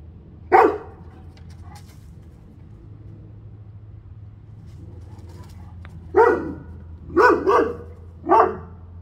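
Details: Central Asian Shepherd, a guard breed, giving one loud, deep bark, then after a long pause three more loud barks in quick succession, over a steady low hum.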